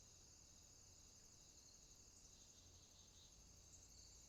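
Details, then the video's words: Night swamp chorus of crickets, a dense, high, unbroken shimmer of insect trilling with a sustained piercing tone on top and faint low rumble underneath. "Night Ambient Sounds, Crickets, swamp sounds at night"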